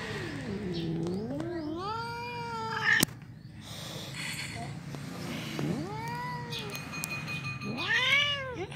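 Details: Black domestic cat, teased to make it angry, gives a drawn-out wavering yowl, then two separate arched, rising-and-falling meows after a pause, over a steady low background hum.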